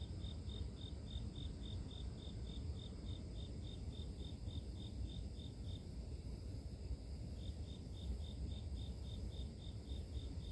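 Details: Grass insects chirping in a natural setting as sleep-inducing white noise: rapid, evenly spaced high chirps run for about six seconds, pause briefly, then resume at the same pace over a steady low background rumble.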